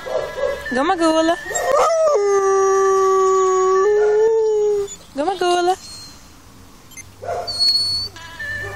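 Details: A female dog howls along with a played ambulance siren while first learning to howl on command: rising whining yelps, then a long, steady, mournful howl bending slightly upward.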